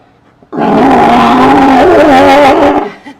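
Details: A California sea lion at SeaWorld San Antonio, Texas, gives one long, loud, rough roar lasting about two seconds.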